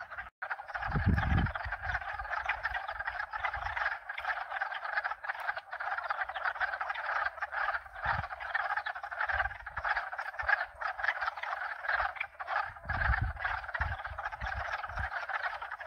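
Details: Mixed-species frog chorus, at least two kinds, a thick continuous trill of overlapping croaks throughout, interrupted by occasional low wind gusts and a steady mechanical hum from hot tub pumps.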